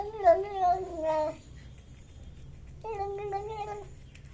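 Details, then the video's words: Cats eating fish give loud, nasal, wavering meows: a long warbling cry lasting over a second, a pause, then a second steadier drawn-out meow, in a small quiet room. "Cats Making Funny Sounds While Eating Fish"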